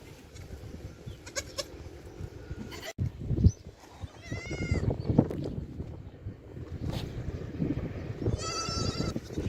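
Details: Young goats bleat, short and wavering, in the morning while drinking milk, over steady low rumbling and shuffling noise.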